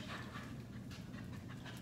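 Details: Six-month-old Belgian Malinois during an obedience training session, not yet responding to commands; steady rapid panting breaths with a low background hum throughout.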